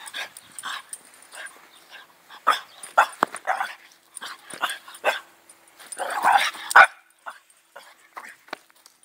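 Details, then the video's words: French Bulldog during a wild, excited outburst, giving short, sharp yapping barks about every half second to a second, with a dense, squealing cluster of yelps around the sixth second before quieter yips trail off. "french bulldog spaz"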